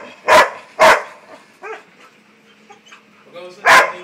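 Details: Labrador Retriever barking: two sharp, loud barks half a second apart, a pause of nearly three seconds with a faint whine, then a third bark. People talk in Filipino in the background.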